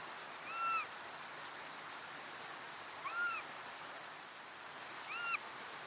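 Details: Baby Japanese macaque (snow monkey), 2025: three clear tonal coos, each arching up then down with stacked harmonics, spaced roughly two seconds apart, over a constant rushing, stream-like hiss.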